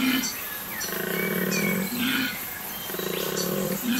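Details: At Apollo Bay farm in January, amid replanted forest habitat, a koala bellows in deep, rasping, snore-like pulses, with faint bird chirps above.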